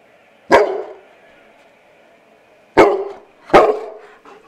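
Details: Eight-month-old male Bernese Mountain Dog weighing 85 pounds barks at his own reflection in a window. Three loud, deep single barks: one early, then a pause of about two seconds, then two more in quick succession, each fading quickly.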